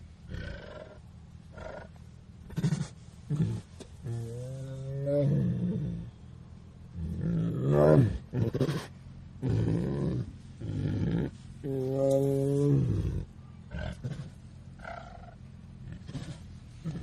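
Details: Tiger seen very close: deep, drawn-out moaning roars of about a second each, low and richly harmonic, several spaced across the recording, with quieter rumbles and gaps of near silence between them.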